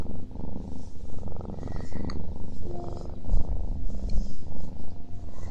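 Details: Cat purring during a meal, the deep rumble swelling and fading in short rhythmic surges about once a second, with faint chewing clicks scattered through.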